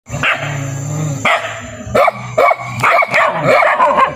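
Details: Dogs barking: an irregular run of loud, overlapping barks, quickening over the last two seconds, above a steady low hum.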